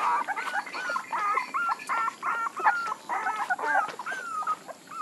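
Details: Puppies whining in a steady stream of high, wavering squeals, overlapping tonal whimpers that rise and bend in pitch and come in quick succession for about five seconds, with no other clear sounds.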